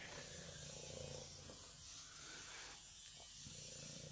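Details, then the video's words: Loud, low purr from a young female tortoiseshell kitten, a dense rumbling buzz with a slight rise and fall as she breathes, heard close up indoors. "She Purrs as Loud as He Snores"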